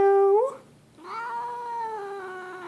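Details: Grumpy cat Leo, indoors, makes a rising yowl that breaks off, then after a short pause launches into a long, level, moaning caterwaul with strong harmonics, slowly sliding lower.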